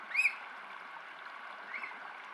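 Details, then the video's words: An otter squeak from a mother and youngster otter pair: one sharp, high, rising squeak, then a fainter second squeak about a second and a half later, over steady rushing water. "Otter Squeaks"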